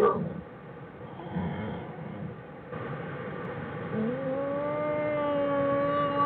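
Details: Bears in Jewel's den on January 16, 2013, 'singing': after a murky, rumbling start, a steady, drawn-out tonal wail rises slightly and then holds level, with a clear stack of overtones, through the last two seconds.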